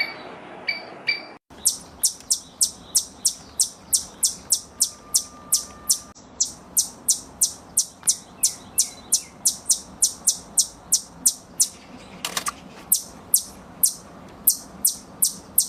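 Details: Squirrel giving a long run of sharp, very high chips at about three per second after a brief scratchy opening, each note a short bright click over a faint low hum.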